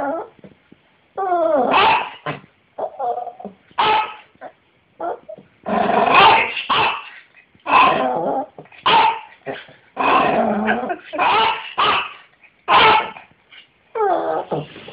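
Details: A 15-year-old toothless Yorkshire Terrier with failing eyesight gives sharp, high yapping barks in irregular bursts, jumping as he barks, with whiny yips between them.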